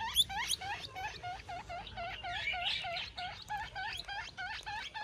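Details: Young guinea pig calling for its mother, giving fast, steady chains of bright, upward-curving squeaks, about three per second, with one higher sharper squeal at the start and faint rustling underneath.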